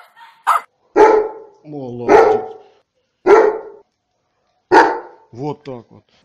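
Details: Loud, full dog barks spaced one to one and a half seconds apart, with a short whine and brief tonal, voice-like sounds between them; taken from a compilation of funny and cute dog barks.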